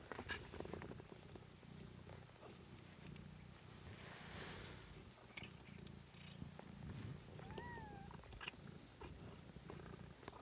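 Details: A kitten, Pom, in a home kitten stream, purring in a low continuous rumble, with a single high wavering mew near the end over faint room noise.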